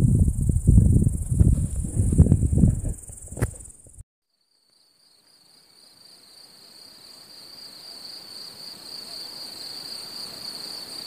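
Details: Cicadas on a summer meadow: a high drone under loud wind gusts for four seconds, then a brief silence. A cleaner two-pitched buzz follows, pulsing rapidly and evenly, over faint background hiss.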